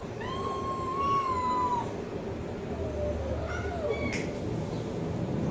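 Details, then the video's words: Cat giving a long, wavering meow that rises and falls, followed by a fainter, lower cry and a short click, against a steady background hiss. "Cat meowing sound effect compilation"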